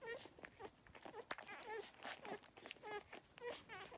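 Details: Beagle puppies give a stream of short, high, squeaky whimpers and squeals while nursing.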